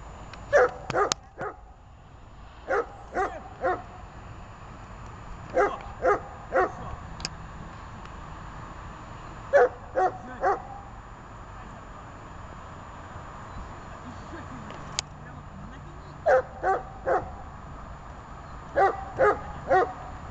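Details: Dog barking during obedience training, in quick bursts of two to four sharp, mid-pitched barks separated by pauses of a few seconds, with a quiet room hum behind.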